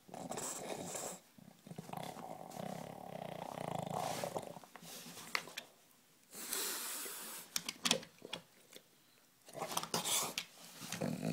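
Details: Bill, a bulldog, growls in a small room: a raspy, humming rumble for several seconds, then gurgling breathy snorts and sharp clicks after short pauses.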